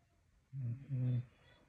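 A Staffordshire bull terrier gives two low, rasping snores, each a steady, humming drone lasting about a third of a second. The rumbling breaths come close together, with only faint room noise around them.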